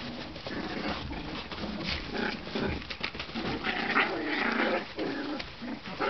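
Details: One-month-old Tibetan Terrier puppies from Poland fill the recording with a busy tangle of overlapping squeaks, whines and short yelps, with scuffling and rustling throughout and no clear pause between voices.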